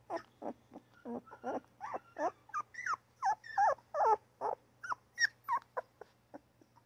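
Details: Newborn puppy yapping and crying in a fast, steady run of short whiny squeals, each bending down in pitch, nearly three per second, over a faint low electrical hum.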